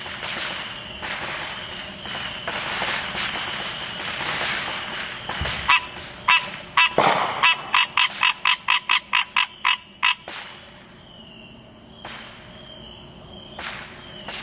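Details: Green tree frog on the Fourth of July: muffled firework booms and crackles at first, then a quick series of about a dozen clipped honking notes, followed by more distant bursts against a constant high hum.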